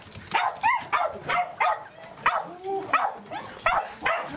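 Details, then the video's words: Roku, a Welsh corgi, overjoyed to see its breeder on 4 August 2019, gives high rising whines and yelps in quick succession, roughly one and a half per second, with a faint human voice behind. "ブリーダーさんに会って大喜びなロクさん / Happy Roku meets breeder"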